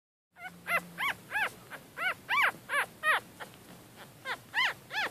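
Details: Yorkshire Terrier puppies, born on the night of 4 to 5 March 2013, somewhere between birth and ten weeks old: high squeaky whines, each an arched cry rising then falling, about a dozen in quick uneven succession over a low steady hum.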